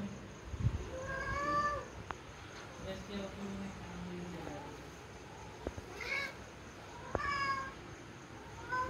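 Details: Pet cats, a big cat visiting smaller ones, filmed 21 December 2021: several drawn-out harmonic meows, rising then falling, near the start, then two more around six and seven seconds, with a person speaking Hindi and a steady faint hum behind.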